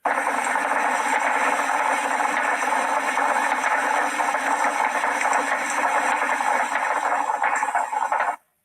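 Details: Sperm whales at a social gathering and aggregation produce a dense, overlapping chorus of rapid clicks and knocks, like carpenters hammering, the source of the old whalers' name "carpenter fish".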